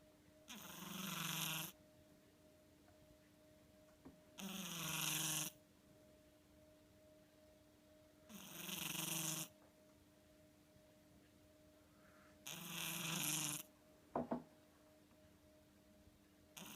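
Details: Sleeping house cat snoring: four broad, breathy noise bursts about a second long each, spaced roughly every four seconds, with a faint steady hum running underneath and a brief click near the end.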